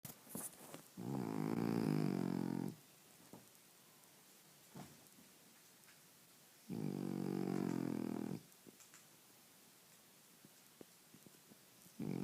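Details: Sleeping French bulldog snoring indoors: long, rumbling, rattling breaths of about two seconds each, two full snores separated by roughly four quiet seconds, with a third starting at the end and small clicks between.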